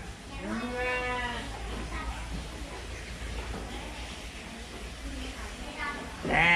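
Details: Woolly sheep bleats once with a quavering, falling voice, then stays mostly quiet amid faint murmurs before another bleat begins at the end.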